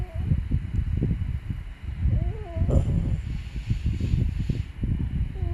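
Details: Sleeping puppy Byeol snoring steadily: a continuous low, grainy rumble broken by a brief wavering squeak midway and another faint whistle at the very end.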